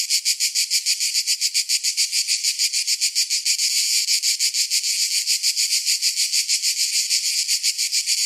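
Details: Summer cicada chorus, a harsh shrill drone throbbing roughly three times a second, loud and continuous from start to finish, nothing else audible.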